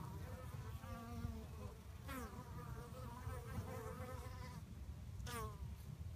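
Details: Honey bees fighting, their motive unstated, give a continuous droning buzz with wavering harmonics, broken by a few brief rising and falling whines near the two- and five-second marks.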